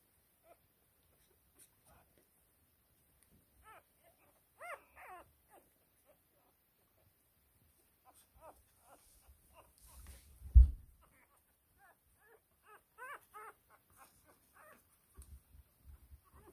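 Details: Whippet puppies from a first litter, growing up: scattered short, high, upswept squeaks and whimpers come in loose bursts, with a soft thump near the middle and quiet pauses between.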